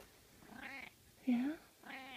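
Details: A Russian Blue cat, sleepy, kneading and napping, makes a short murmured chirp that slides upward, between soft drawn-out vocal sounds and a person talking gently to it.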